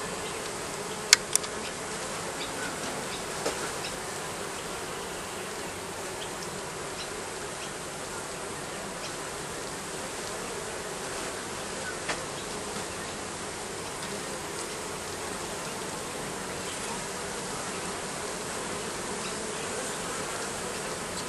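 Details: Bees nesting under roofing give an unbroken, even droning buzz lasting the whole stretch, with a couple of brief clicks early on.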